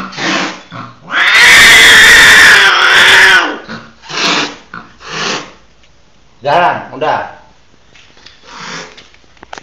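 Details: A hybrid of a Sumatran leopard cat and a domestic cat, later bred with a Bengal cat, gives a loud, harsh, drawn-out yowl, followed by shorter wavering cries, recorded around mating.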